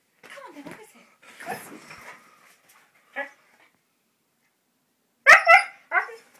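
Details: An excited 15-month-old Siberian Husky, wanting to go out for a walk indoors, makes soft grumbling mutters, then a short gap, then two sharp yelping barks and a final yip.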